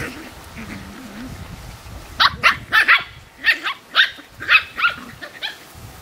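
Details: Playful Australian Terrier puppies with their mother letting out a run of about ten sharp, high-pitched yaps in quick succession after a soft low grumble at the start.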